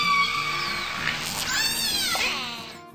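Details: Orca giving a long, loud call, said to carry more than ten kilometres: curving harmonic whistles sweep up and down over about three seconds, set over steady background music.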